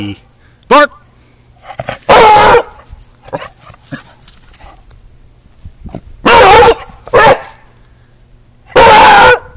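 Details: Frisky Beagle barking loudly indoors: a short yip, then three long, harsh barks spaced a few seconds apart, with Spanish speech and laughter from people in between.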